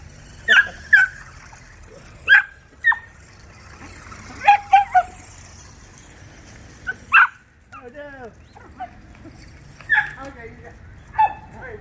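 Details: A pack of pet dachshunds at a dog park bark as they chase a remote-controlled car, a hobby that upsets them. Short sharp barks come in scattered bursts, with a falling whine midway and a man's voice.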